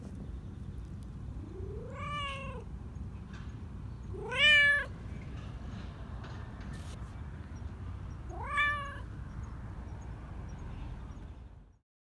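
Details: A black Persian park community cat, overjoyed at being petted and purring, gives three clear, drawn-out meows, each bending upward before trailing off, two to four seconds apart, over a low, even background rumble.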